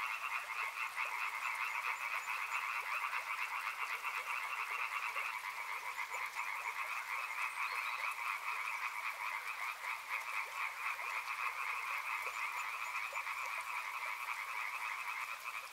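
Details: Large frog chorus near a river, rapid pulsed croaking about four per second, overlapping into a steady two-toned drone that barely varies over the whole stretch.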